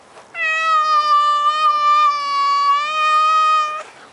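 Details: Maine Coon cat giving a single long, steady meow held for about three seconds, even in pitch and richly harmonic, in a quiet indoor setting.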